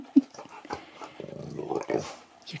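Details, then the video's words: Male husky at Easter, vocalizing while handling an Easter egg he first ignores and then plays with before eating. A short sharp yelp, then a low grumbling, wavering vocalization lasting about a second, with faint human speech around it. "Husky TALKS to ~ IGNORES then PLAYS with his EASTER EGG"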